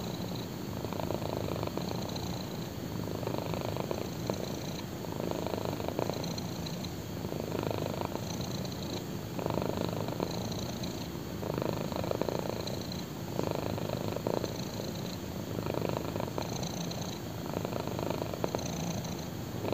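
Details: A black kitten lies on a thigh and purrs; deep steady rumble with rhythmic surges every two to three seconds matching inhale and exhale, close and even, no other sounds.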